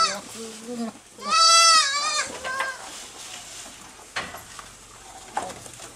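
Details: Small farm goats feeding quickly in the evening; a low voice murmurs briefly before a loud, quavering bleat of about a second, followed by a shorter fainter bleat and soft feeding noises.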